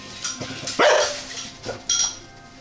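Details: A Staffordshire Bull Terrier, apparently reacting to the TV quiz show The Weakest Link, gives a sharp, rough bark, then a second burst, with the show's talk faintly in the background.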